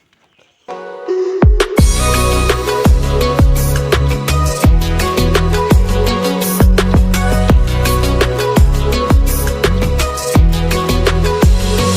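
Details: After a brief quiet start, loud electronic music with heavy bass drops and sharp drum hits fills the rest, with no animal voice audible.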